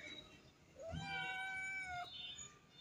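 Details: Domestic cat giving one drawn-out meow, rising then held level for about a second before breaking off, with faint background noise.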